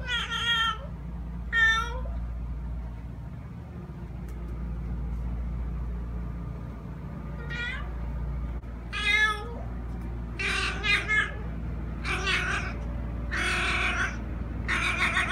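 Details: Male pet cat that makes this noise all day, sometimes at 6 am: a series of short, harmonic meows, a few single calls early and then quicker clusters of two or three toward the end, over a steady low indoor hum.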